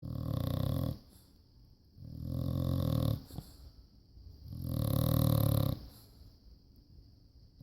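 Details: A sleeping rescued bulldog snoring indoors: three loud, rough, rasping breaths, each about a second long, spaced roughly two seconds apart, with quiet gaps between them.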